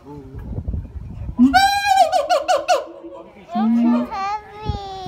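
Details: Siamang (Symphalangus syndactylus), call.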